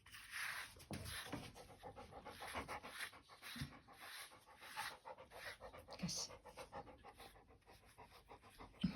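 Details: Labrador Retriever panting during grooming: soft rhythmic breathy pulses through most of the recording, with a woman's voice giving commands and praise in Russian.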